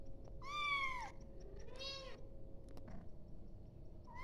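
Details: Kitten calling its mother with two clear meows in quick succession, the first longer and bending downward, the second shorter, then a faint third beginning at the end; low room hum underneath.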